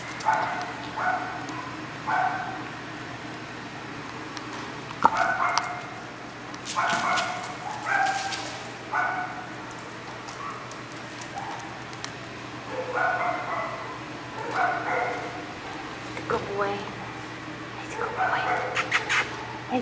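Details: Cowboy, an even-tempered Australian Cattle Dog at an adoption shelter, gives short repeated yips and barks in clusters every few seconds while a person talks to him and praises him, over a steady low hum.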